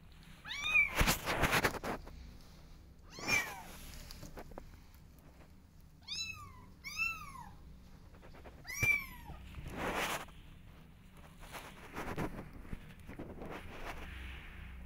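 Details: Several kittens meow to be let outside, eager to explore; bright, sharply arched mews recur every couple of seconds, including a quick pair around the middle, mixed with scuffing and knocking noises.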